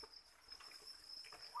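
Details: A continuous thin, high, slightly pulsing trill from farmed crickets reared on chick feed, with small patters and clicks scattered through and a short higher squeak near the end.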